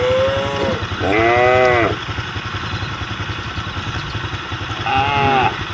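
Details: Cattle on the road calling the herd: three drawn-out, arching moos, one at the start and two more near two and five seconds, over the steady throb of a motorcycle engine.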